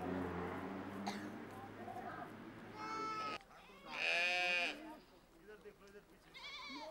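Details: Changthangi goats with sheep in a Himalayan herd; a low murmur of voices at first, then several shaky bleats, one loud strained bleat in the middle, and a fainter high bleat near the end.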